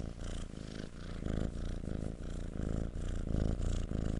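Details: Kitten purr, low and continuous, pulsing in quick regular breaths about three times a second, a soft rattling rumble close to the listener.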